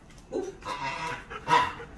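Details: A Siberian Husky gives short, hoarse, wavering 'woo' sounds instead of a proper bark when its owner asks it to say woof; the owner calls it coughing rather than barking.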